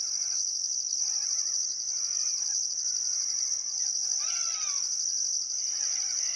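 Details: Crickets at sunset beside the Barcoo River in Welford National Park, Outback Queensland, Australia, on a still summer afternoon: a steady high shrill trill under a higher pulsing chirp repeating about once a second, with faint bird whistles and one clear downslurred birdcall.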